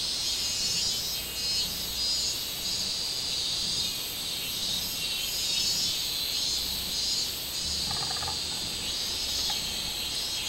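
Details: Robust cicada chorus from 24 July 2016. A loud continuous high-pitched drone rises and falls in soft surges, with a quick pulsing shimmer on top. A short faint chirpy sound near eight seconds.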